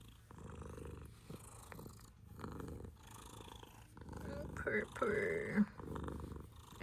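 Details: Female domestic cat purring indoors while her eyes are being cleaned, the purr likened to a snore: a low, steady rumbling pulse throughout, with a woman speaking softly over it in the middle and end.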